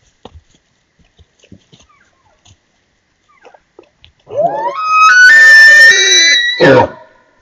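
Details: A bull elk in the Utah mountains in fall, during the rut, bugles: a climbing, whistled scream that holds high, then breaks into a rough grunt.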